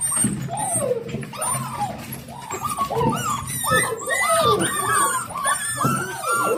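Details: Excited 7-week-old Dalmatian puppies greeting their returning owner: a rush of rising and falling whines and squeaky yelps from several pups at once, growing busier toward the end.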